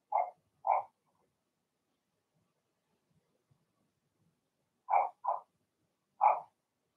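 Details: Cavalier King Charles Spaniel puppies, Blenheim-coloured, barking in their pen: two sharp, high yappy barks, a pause of about four seconds, then three more barks in quick succession. Nothing else audible.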